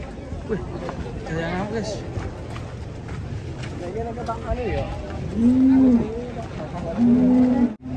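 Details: Cattle with bent legs being unloaded from a truck in Indonesia. Two loud, steady, low moos of about half a second each come near the end, over background speech, music and crowd noise.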